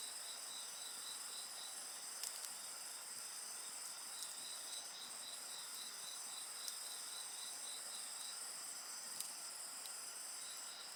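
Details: Insects sing continuously next to a crackling campfire, a dense high-pitched shimmer with a rapidly pulsing trill running throughout, punctuated by scattered sharp snaps of burning wood.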